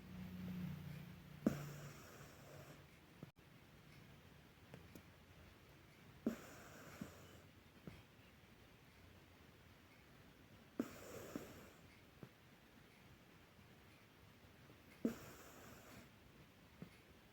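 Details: Deeply sleeping cat snoring indoors: soft, breathy rasping breaths come roughly every four to five seconds, each about a second long, with faint clicks in between and a quiet room hush behind.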